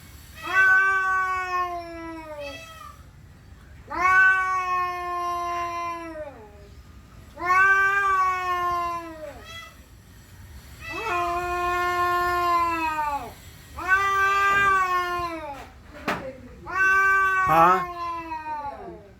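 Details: Male indoor cat giving territorial, aggressive yowls on seeing another cat outside: a series of sustained, droning moans, each roughly two seconds, steady in pitch then dipping, with a few short clicks or bumps near the end.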